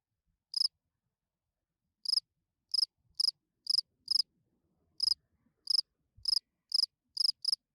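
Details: Field cricket calling at night to attract females, hidden in a burrow: sparse pulsed chirps, a long gap after the first, then a quicker irregular series, otherwise quiet background.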